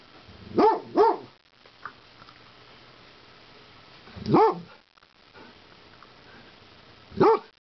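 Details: A dog barking at a turtle gives sharp, harmonic barks: a quick double, then single barks spaced a few seconds apart.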